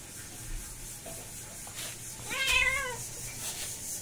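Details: Kitten and mother cat play fighting indoors; one short wavering meow near the middle, rising then falling with clear harmonics, over a steady low hum and faint rustling.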